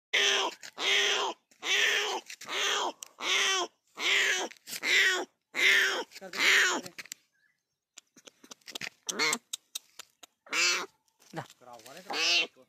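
A leopard cub gives a steady run of high, nasal mews, each rising and falling briefly.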